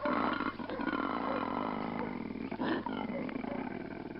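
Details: A koala chased up a tree by dogs bellows in a deep, rasping, pulsed roar that makes it sound far larger than it is, in contrast to a dog of similar weight.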